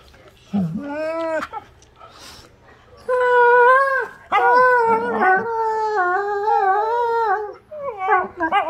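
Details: Two pet wolfdogs playing, one giving drawn-out wavering howls with rich harmonics, rising and falling, in three long bouts after a short opening yelp, ending in quick broken whines.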